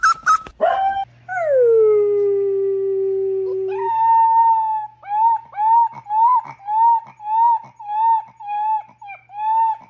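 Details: Golden Retriever puppy howling: one long drawn-out tone that slides down and holds, then about nine short rising-and-falling yowls at a steady pace over a faint low hum.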